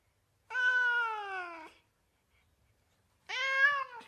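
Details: Cat meows from a mix of mewing kittens and cats: two drawn-out harmonic meows, the first over a second long and gently falling, the second shorter, separated by nearly two seconds of silence in a quiet room.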